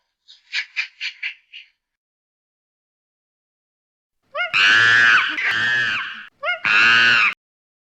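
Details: Chimpanzee calling: a quick series of five short, high, clipped hoots, a pause, then loud, harsh, strained screams that rise and fall, in two long bursts over about three seconds.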